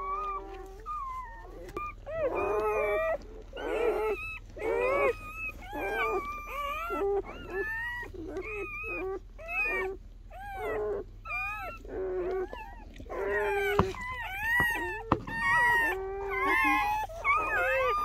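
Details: Newborn German Shepherd pups from Betty's overnight litter chorus in rapid, high, quavering squeaks and whines, nearly one per second, several pups overlapping, with faint clicks and rustling underneath.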